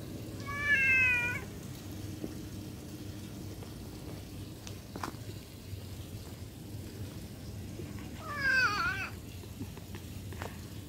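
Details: Cat, possibly a stray, meowing twice: a short high harmonic meow near the start and a longer wavering, slightly falling meow about seven seconds later, over a low steady background rumble.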